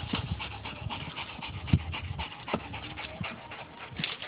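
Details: Quick rhythmic panting from a dog as puppies clamber on their father, several breathy puffs each second in a steady pulse, with a soft thump partway through and light rustling of the pups moving about.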